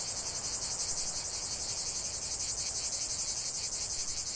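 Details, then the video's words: Cicadas singing in nature: a dense, hissing buzz high in pitch, throbbing in quick regular pulses about four times a second, steady and unbroken throughout. "45 min de chant des cigales"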